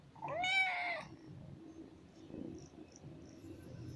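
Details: A cute black pet kitten meows to get attention, wanting to play and not letting its owner sleep: a single clear meow that rises then falls, lasting under a second, followed by quiet rustling.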